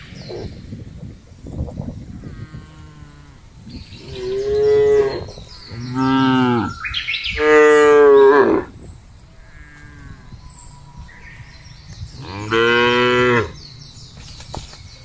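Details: Tame cattle being fattened while roaming free in village rice fields and open farmland: four long, deep lowing moos, the last two loudest, with bird chirps in between.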